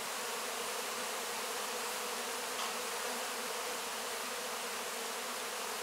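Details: Crowd of honey bees working over wax cappings after a honey harvest; a steady humming buzz with a slight flutter, one brief louder swell midway, and a wide hiss above.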